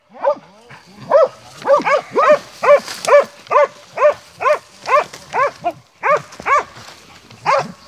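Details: Hunting Montenegrin Mountain Hounds of kennel 'Sutorman' bay in a fast run of sharp arched barks, a little over two per second, with a faint hiss in the background.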